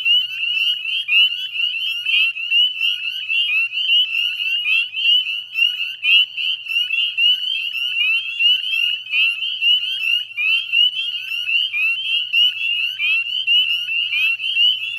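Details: Many northern spring peepers calling together at dusk in the Chezzetcook salt marsh, Nova Scotia, Canada, 18 May 2020: sharp upslurred peeps packed into an unbroken shrill chorus, swelling and dipping in waves, with a faint low hum underneath.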